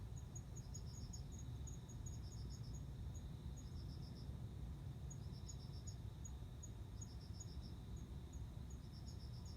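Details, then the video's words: September 29 recording of a male cricket luring a female to mate: soft bursts of several rapid pulses arrive every two seconds or so, mixed with a higher, steady ticking series and low background rumble. "コオロギの交尾 雄の鳴き声に惹かれて雌が応じる瞬間"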